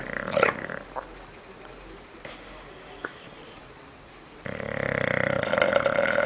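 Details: Snoring bulldog Michu: a short rough snort at the start, soft clicks, then a sustained buzzing, rattling snore over the last two seconds.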